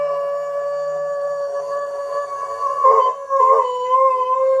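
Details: An Alaskan Malamute about 3 years old holds a long, steady, mid-pitched howl that wavers briefly near the end.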